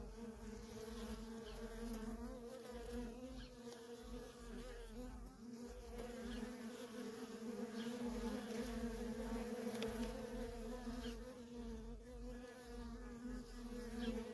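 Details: Feral honey bee colony with worker bees flying in and out nonstop, giving an unbroken layered drone, low and even, growing slightly louder midway as more bees pass near.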